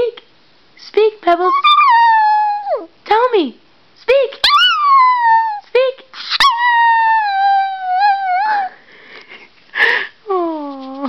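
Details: Female Chihuahua howling: a string of sustained, wavering tonal howls that swoop and slide downward, broken by short yips and gaps, ending in a long descending wail.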